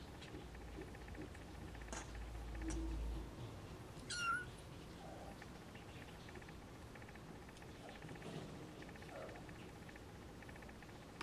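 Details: Siamese snowshoe kitten giving a single high, thin mew about four seconds in, sliding up and then down, with a steady low indoor hum and faint rustling around it.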